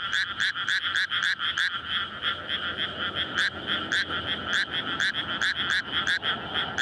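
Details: Many frogs call together in a May rice paddy flooded for planting, at night, a courtship chorus before egg-laying; quick repeated croaks stack into a constant wall of pulsing sound, with light low background noise.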